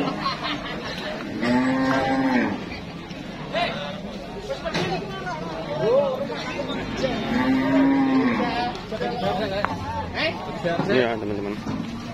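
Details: Cattle at a crowded market with brisk trade and buyers queuing: repeated drawn-out lowing moos, steady-pitched and harmonic-rich, several animals calling in turn, with background voices and chatter.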